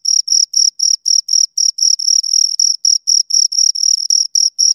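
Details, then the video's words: Two crickets producing rapid high-pitched chirps, each a short buzzy pulse, repeated about four times a second in a steady pattern against silence. "Two Crickets Chirp Sounds for Two Hours Right on Your Ears"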